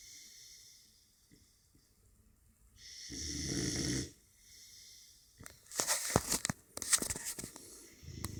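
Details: American bulldog puppy asleep, one rough drawn-out snore followed by a burst of short sharp snorting and sniffing sounds, indoors.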